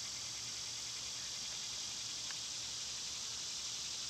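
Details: Loud summertime cicadas produce an even, hissing, high buzz that holds steady throughout, with one faint short note near the middle.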